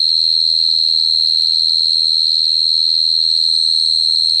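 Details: Unbroken shrill cricket trill, high and even in pitch, finely pulsed throughout, with only a faint low hum in the background.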